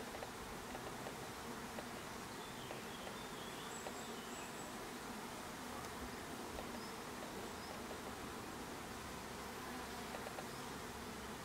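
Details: Unbroken humming drone of honey bees around a hive, thick and steady for the whole stretch, with faint hiss and occasional light ticks.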